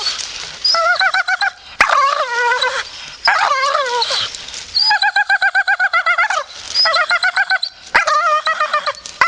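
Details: Grumpy Staffordshire Bull Terrier grumbling in bursts of rapid, pulsing, throaty whines with strong harmonics, broken by short pauses and a few sharp clicks.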